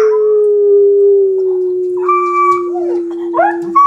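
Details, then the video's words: Two Shetland sheepdogs singing together at home. One holds a long, steady, mid-pitched howl throughout while the other adds higher, wavering, rising and falling yodel-like howls over it. "Sheltie Serenade"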